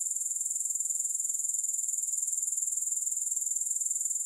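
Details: Unbroken shrill grasshopper sound with no music, a thin, very high buzzing trill that pulses steadily about four times each second throughout.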